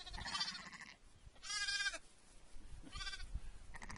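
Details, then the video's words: Young lambs bleating: two short, high, wavering baas a second or so apart, with a noisy background and other faint sounds between them. "Baby Lamb (Sheep) Goes Baa"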